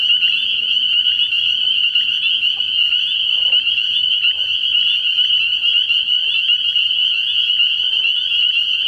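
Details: At a frog pond after dark early in the year, massed spring peepers keep up a shrill, ringing, unbroken chorus of high peeps, with a few scattered faint lower clicks and knocks.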